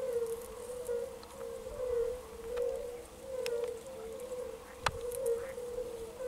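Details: Water frog and a background chorus of European fire-bellied toads, recorded 10 May 2022: soft, low, bell-like 'oonk' notes about once a second in a steady overlapping chorus, with occasional sharp clicks and faint croaks from the water frog.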